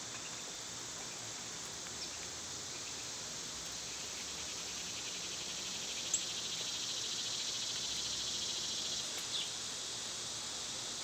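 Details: Summer cicada chorus, an unbroken high buzzing wash with a faint fast pulsing texture, and a couple of brief distant ticks over eleven seconds.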